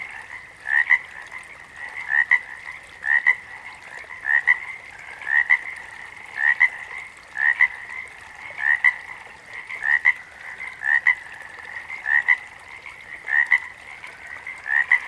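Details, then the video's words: Frogs calling: short paired croaks near one pitch band, repeated roughly every second in a steady, slightly irregular rhythm over a quiet background. "Frogs - Nature Sounds"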